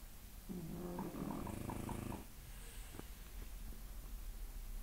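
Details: Sleeping 11-month-old French Bulldog snoring: a low, buzzy, droning snore of about two seconds with a nasal tonal edge, then near silence with a few faint clicks in a quiet room.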